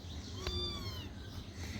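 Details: Tiny white kitten, hungry and being bottle-fed milk, lets out one soft, drawn-out meow that slides downward, heard quietly over low indoor background noise.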